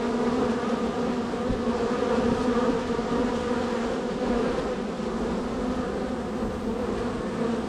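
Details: Steady drone of a very active honey bee colony at hive number 3, bees coming and going; an unbroken buzzing hum with strong tonal bands, even in loudness from start to finish.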